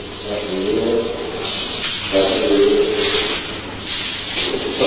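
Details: Batyr, a captive-born male Indian elephant at Karaganda Zoo, about ten years old, produces low, voiced, speech-like sounds in short phrases, mimicking human words; recorded in 1979.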